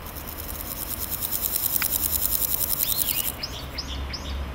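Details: Male naki-inago grasshopper in grass, rubbing hind legs against its wings, presumably courting: a fast, even, high rasping pulse train for about three seconds, followed by several short bird chirps over steady background noise.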